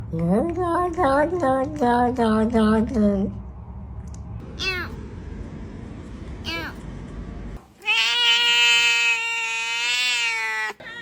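People talk first, then a domestic cat answers with one long, sustained meow. The meow is smooth and tonal, holds a fairly even pitch with a slight lift, and lasts about three seconds.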